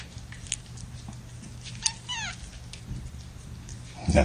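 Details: Kitten from mother Gamora's litter of five, born April 14th, sitting in a lap indoors in May 2018; a single short, high mew falling in pitch, with faint clicks, rustling and a low background hum.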